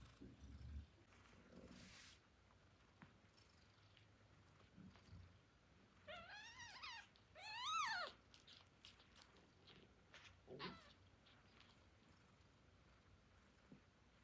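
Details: Tiny newborn kittens, hungry and calling for their mother before nursing on her milk: a cluster of high, arching mews in the middle, one louder and wavering, then a brief cry later, with soft rustling and shuffling between.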